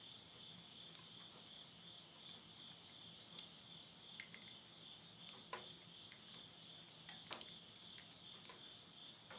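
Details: Insects singing at midnight at the end of summer, September 2020, in the countryside of Yurihama, Tottori, Japan: a steady, high-pitched continuous trilling drone, broken by sharp crackles and pops from wood burning in a stove.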